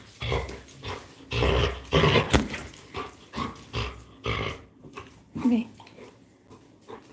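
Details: Labrador Retriever named Coco playing tug-of-war, giving rough, low growls in short bursts about every half second, with a brief sharp click midway and human speech mixed in around the growls.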